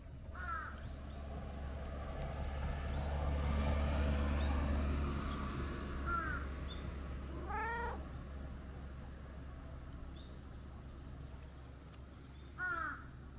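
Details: Brown tabby-and-white stray cat, woken from a nap in tree shade, coming over to play; a few short, tonal meows spaced through the recording, two close together in the middle, over a steady low outdoor rumble.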